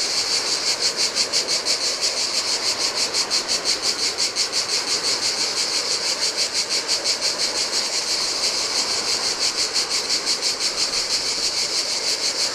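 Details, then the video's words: Cicada song in the heat at a desolate beach on a Greek island, Adriatic coast: loud buzzy pulses about three per second, fading to a steadier drone later, with surf washing on sand. "Cicadas by the Sea - Ocean Waves & Cicada Sounds"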